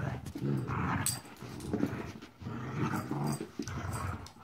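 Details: Puppy Marvel, 14 weeks old, growling while playing: two long rumbling growl phrases, each about a second long, separated by a brief pause with light scuffling.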